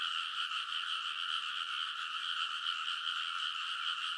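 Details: Midnight early-summer frog chorus from rice-paddy banks in Konosu, Saitama Prefecture, Japan, TASCAM Portacapture X8 recording: an unbroken wall of many frogs croaking together, pulsing and shimmering evenly throughout.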